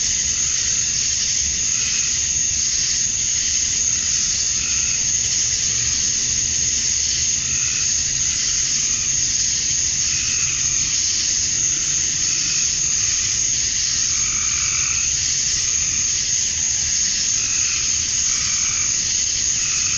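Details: Summer-night cicadas at dusk in Georgia, USA, with males calling for females. The shrill, steady wall of buzzing never lets up, and fainter lower hums rise and fade every few seconds.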